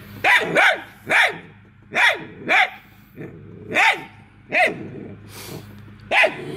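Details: Pack of hounds pursuing a fleeing squirrel, barking excitedly in a steady run of about ten sharp barks, some doubled, spaced under a second apart, above a constant low mechanical hum.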